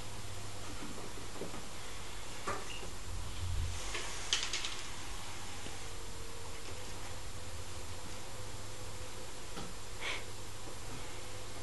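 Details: Quiet indoor room with a low steady hum and a few faint knocks and clicks, with no animal voice heard.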